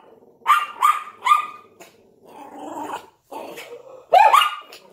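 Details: A Yorkshire Terrier, possibly with a Lhasa Apso, barks at a window in sharp, high-pitched quick bursts, with a rougher, growling stretch between them.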